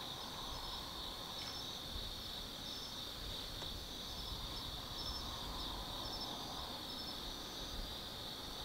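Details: Autumn insects calling at night in the Tsukimi no Mori forest, Kaizu, Gifu Prefecture, Japan, 180 m up overlooking the lights of the Nobi Plain; a steady, dense, shrill chorus laced with brief higher chirps, over a low rumble of distant traffic.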